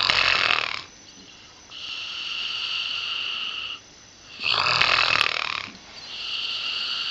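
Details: Pip, an eight-year-old female springer spaniel with a nasal tumour undergoing radiotherapy at the University of Liverpool, snoring: loud harsh rasping breaths alternating with quieter whistling, nasal exhalations in a slow repeating cycle.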